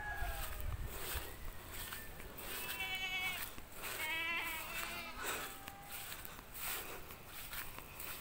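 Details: Goats at a goat pen where some have just given birth, giving several wavering, quavering bleats in the middle of the recording, one long trembling cry near the centre, with background music and handling noise throughout.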